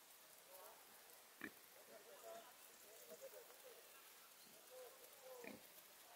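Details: Male fallow deer in autumn rut on the wooded hills of El Pardo, Madrid, October 2021, giving the 'ronca'. It sounds like short, hoarse, belching grunts, each about a second apart, some sharper, over faint background noise.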